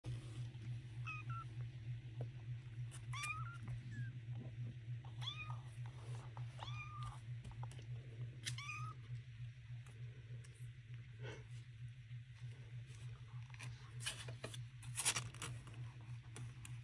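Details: Calico mother cat Peaches with her baby kittens in a box; a string of high, thin, upward-curving kitten mews repeated every second or so, over a steady low hum, with rustling and handling noises near the end.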